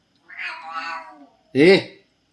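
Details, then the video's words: Domestic cat sulking after refusing its food, giving a drawn-out, wavering harmonic meow, then a short, rising-falling second meow after a brief pause, indoors. "जेवण आवडलं नाही म्हणून रुसून बसला हा"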